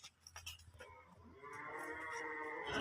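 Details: Holstein Friesian calf at a farm in Setabganj, Dinajpur, Bangladesh, giving a sustained, rich harmonic moo that swells steadily louder over its last second, after a few soft knocks and rustles.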